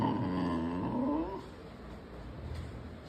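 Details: Angry Saint Bernard named Murphy, a puppy, growling: a harmonic, moaning growl sliding up and down for about a second and a half, then fading into low background hiss.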